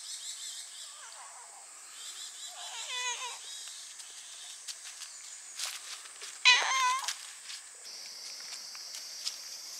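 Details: Domestic cats, including a young black cat and a young brown tabby, at an arbor in the forest of Tamano Utaki Shrine. Several soft, wavering meows, then a louder rising-falling meow near the end, over a constant high drone of cicadas.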